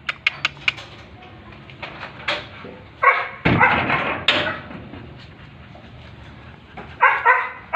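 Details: A Chow Chow puppy on its first day home gives short, high yips and whimpers amid clattering handling noise.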